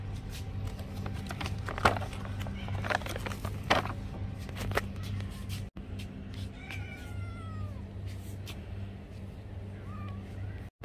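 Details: Domestic cat meowing to ask for food indoors: one drawn-out, falling meow in the second half, then a short faint one near the end, over scattered clicks and tapping and a steady low hum.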